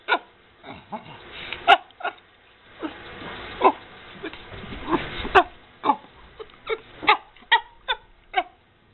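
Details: Happy squeaks from a 13-year-old female chimpanzee rescued from the pet trade, living at a sanctuary in Bend, Oregon, while eating a Cheerio necklace; short sharp squeaky bursts repeat irregularly, roughly every half second to second, with chewing noises between.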